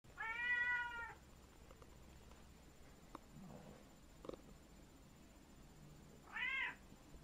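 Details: Indoor cat meowing when an automatic pet feeder fails to dispense food: one long harmonic meow about a second long, a quiet stretch with faint clicks and taps, then a second shorter meow near the end.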